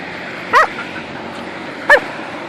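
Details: Belgian Malinois female named Boncuk, playing outdoors and guarding a stone she refuses to give up, lets out two short, sharp yelping barks about one and a half seconds apart against a quiet background.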